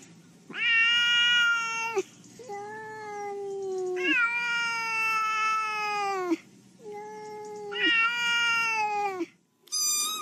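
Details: Long, rich meows from a pet cat, four drawn-out calls of about one to two seconds each, alternating louder and softer, with short silent gaps and a sharp final note.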